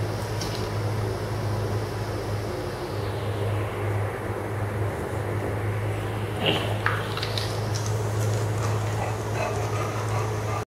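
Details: A steady low mechanical hum fills a small room, with a faint passing hiss and a brief click but no animal voices.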